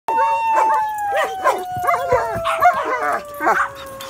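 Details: A shepherd and a husky howling together: wavering, yodel-like howls that rise and fall quickly in pitch, over a long, steady, slowly falling drawn-out tone, continuous and loud.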